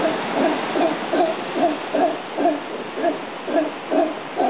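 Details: Howler monkey calling in a steady run of deep, throaty pulsed grunts, roughly two per second, each a short rough bark repeated evenly throughout.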